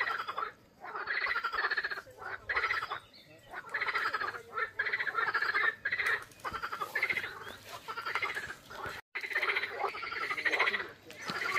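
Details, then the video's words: Frogs calling in their mating season at a lily-covered pond on a hot, sunny day, on a walking stage from Figeac: dense overlapping rattling croaks in bursts roughly every half second to second, with brief pauses between runs. "La saison des amours des grenouilles, les amis. Vous entendez ?"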